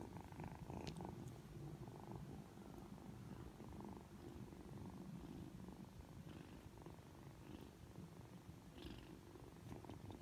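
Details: Aki, a Ragdoll kitten aged three months, turns affectionate on waking: a close, fuller low purr rumbling steadily with breath-timed surges, plus faint soft rustling touches.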